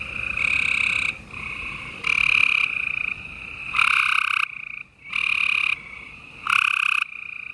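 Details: Gray treefrogs calling at night in Houston, Texas, on April 28, 2020, a busy spring chorus: overlapping trilled calls, each lasting about a second, loud nearby callers alternating with fainter distant ones, steady background chorus throughout.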